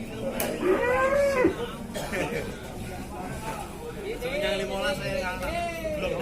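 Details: Cattle at the Ciwareng livestock market, Purwakarta, Indonesia: two arching moos, the first short and the second longer and wavering, over steady crowd chatter and nearby voices.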